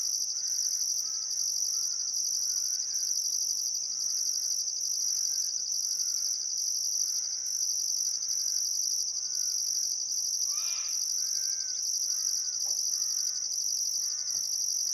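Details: Continuous shrill chorus of crickets at sunset on a calm summer afternoon beside the Barcoo River, Welford National Park, Outback Queensland, with a pulsing upper trill and a series of short repeated bird notes, plus one brief louder call.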